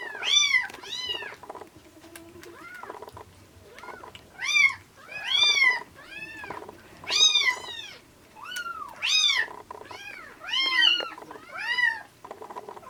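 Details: Rescued kittens, a ginger tabby and a black-and-white hachiware, taken in at about 80 g in late February and now bottle-fed milk near the end of weaning. High, arched meows repeat about ten times, with steady background noise.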